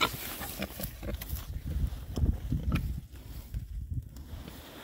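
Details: Six male Oxford Sandy and Black pigs, a rare breed, foraging outdoors in winter between storms; deep rapid grunting, loudest mid-clip, over crunching and rooting sounds.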